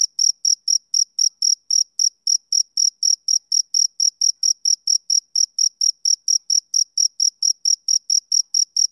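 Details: On a summer evening a male cricket keeps up a metronome-like chirping: around thirty-five bright, high-pitched pulses at an unchanging pace of about four per second, background otherwise silent.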